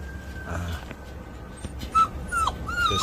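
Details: Fifty-day-old Jindo puppies make a quick run of thin, high whines in the second half, each short and slightly bending, with faint rustling and a low background hum.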